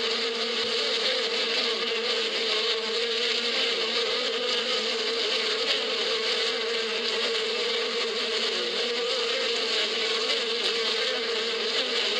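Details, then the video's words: Bees in spring in the Badia steppe, a dense, unbroken swarm hum with a steady low drone under a hissy wash of many wings, level and continuous throughout with no pauses. "اصوات النحل في فصل الربيع"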